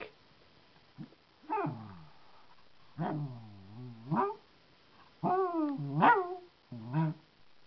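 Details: Tucker, a terrier poodle mix puppy, playing indoors: bursts of harmonic growling that swoop down and then rise into whiny yips, in several separate phrases with short quiet pauses between them.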